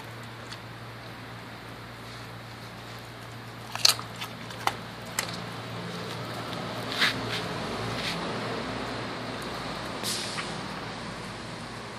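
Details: Wet crunching and scattered bone snaps from a dog eating raw chicken legs indoors over a steady low hum, with no barks or other calls.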